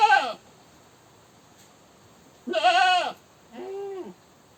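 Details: Goat screaming: three harsh, wavering bleats, the first cut short, a loud long cry in the middle and a softer, shorter one after it, with quiet gaps between.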